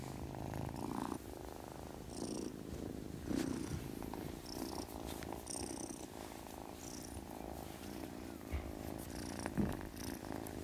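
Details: Kitten named Witty purring as it settles into sleep: a steady, rough low rumble that swells and eases with each breath, with faint higher rustles now and then.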